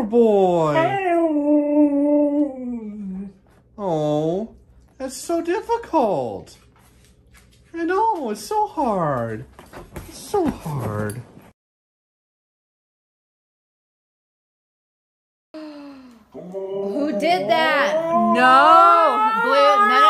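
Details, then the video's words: Husky being dramatic with a string of wavering, up-and-down yodel-like cries and whines, short bursts broken by a silent gap of several seconds, then a longer, louder warbling outburst. "huskies being dramatic"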